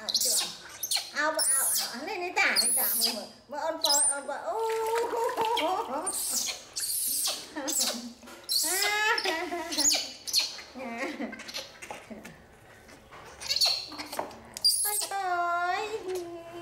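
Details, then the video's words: Angry cries of a rescued baby monkey during her bath: repeated quavering, bending wails with strong harmonics, broken by splashes of water and clicking bursts, with brief quieter gaps and human voices nearby. "Monkey Baby Poy Crying Angry MaMa Bathed"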